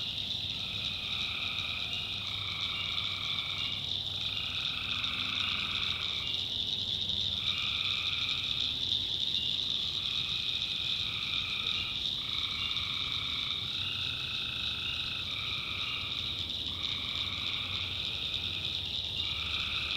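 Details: Tree frogs calling at night in a North Carolina backwoods swamp: many overlapping callers give one- to two-second trilled bursts in two stacked tones, almost without pause, over a steady high shrill hum of crickets.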